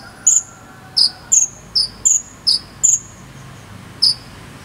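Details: Cricket chirps used as fill-in sound for teaching a konin bird to sing: eight short, high, bright tonal chirps, alternating between a higher and a slightly lower pitch, spaced irregularly about half a second apart over quiet background.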